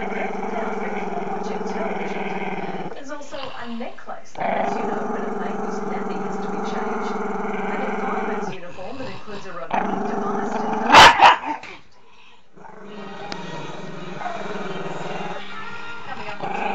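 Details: Maltese-Shih Tzu pup Chester, shy of the camera, growls in extended low rumbles with short breaks; a sharp loud knock or clatter interrupts near eleven seconds, after which the growling continues more quietly.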